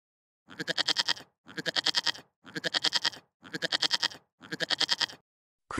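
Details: Goat among farm animal sounds for children, bleating in five evenly spaced bursts about one second apart, each a shaky, quavering, bright-toned cry with the start of another sound at the end.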